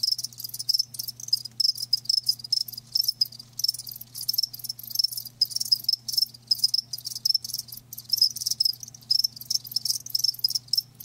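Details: Live crickets chirping in a dense, continuous high-pitched chorus of rapid pulsed trills, bursts overlapping with brief gaps, a faint steady low hum underneath.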